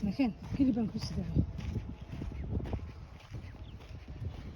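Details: Somali cat in Hargeisa, Somaliland, giving two short, arched, nasal meows in quick succession at the start, followed by rustling, shuffling and low background noise.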